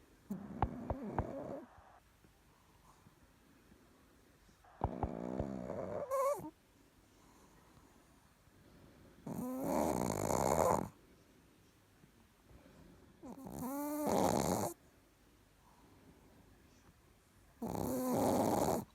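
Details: A Chihuahua asleep and snoring: five separate rasping, wheezy breaths every three to four seconds, some with whistling rising-falling tones, separated by quiet pauses indoors.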